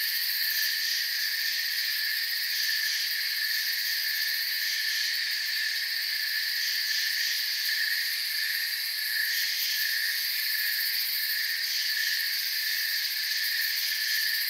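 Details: Many crickets chirping in a forest, a continuous shrill wall of sound in several high stacked bands, with a faint pulsing shimmer and no other noticeable sounds.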